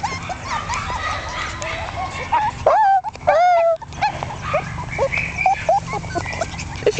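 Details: One-month-old Jack Russell Terrier puppies from a litter born 27 October 2010 to Yeti Romany Storm x Romany Rio: high squeaky whines and short yips, then a loud drawn-out whimper, with people's voices in the background.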